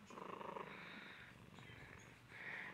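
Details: Domestic cat named Tabitha rolling around and being sweet, purring in a pulsing, rumbling run for about half a second, then softer throaty sounds and a brief higher, drawn-out note near the end, recorded in a small room.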